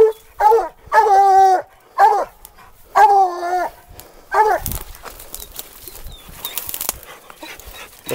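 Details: Black and Tan Coonhound baying at a den tree where a raccoon is holed up: five loud, ringing barks, some drawn out, in quick succession, then a man talking over rustling outdoor noise.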